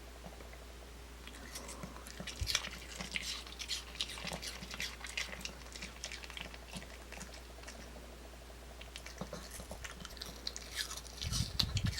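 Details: Crunching and chewing noises in a small indoor room, with irregular bites, a low steady hum and a few faint thumps; no animal calls.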